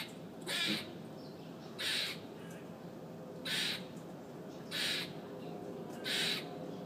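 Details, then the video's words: Very loud squirrel on a city fire escape, screaming: five harsh, raspy squawks repeated about every 1.3 seconds, over a steady low background hum. "Loud Squirrel on Fire Escape"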